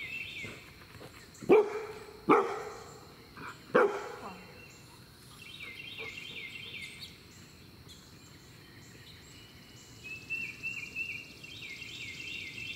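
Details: Three loud, abrupt barks in quick succession from Vail, a 6-month-old male Bernedoodle puppy in board-and-train, while he runs toward a big red ball; a faint high chirping pulses in the background afterward.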